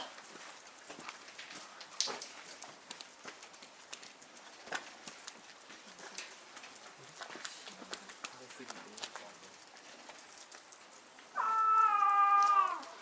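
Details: Snow leopard mother in a Japanese zoo enclosure, November 2019, calling to her young cub from an overhang; after quiet crowd murmur, one loud sustained tonal call, level then dropping at the end, lasting about a second and a half.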